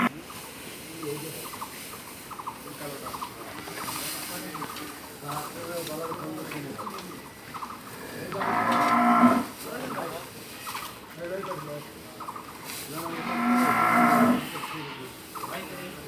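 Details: Dairy cow offered for sale at a farm in Bangladesh, giving two long, loud moos about five seconds apart, low and drawn out; steady rhythmic ticking pulses run throughout, with faint voices in the background.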